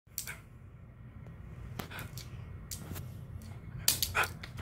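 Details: A Miniature Pinscher gives a few sharp, irregular barks in a small indoor room after its leash is removed.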